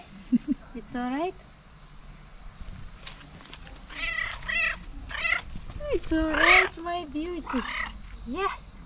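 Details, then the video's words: Cat at a tree meowing and trilling as though trying to tell something: a few soft chirps, then a lull, then a quick series of louder bending meows and trills, with faint human talk behind. "Cat at the tree meowing unbelievably cute"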